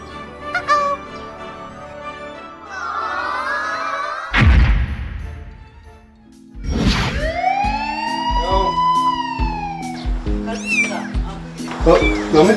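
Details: Kittens hidden in a narrow gap under something give high, arching meows that rise and fall before their mother cat carries them out, with background music playing.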